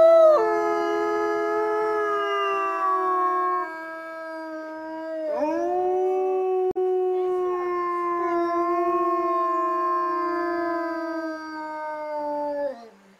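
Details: Three wolves at Hokkaido's Asahiyama Zoo, black Nochiu, grey-brown Wakka and grey Rera, howling in reply to the morning zoo announcement; rich, steady chorus of layered harmonic howls, briefly dipping and swooping upward midway, then sustained until fading at the end.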